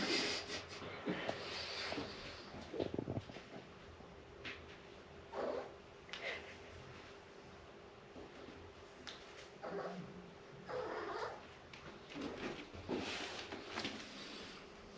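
An Abyssinian cat lets out a string of short, insistent meows and grumbles, complaining at a late homecoming.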